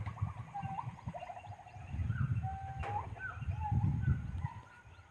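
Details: A monkey crying: a run of short rising whimpers early on, then drawn-out whining squeals that slide up and down, repeated several times over low background rumble and a sharp click.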